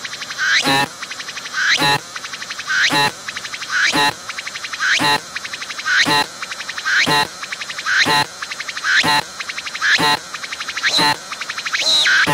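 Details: Close-up of a singing cicada on a tree, abdomen moving as it calls: harsh buzzy phrases repeated roughly once per second, each a rapid rattling pulse train ending in a sharp click, steady and rhythmic throughout.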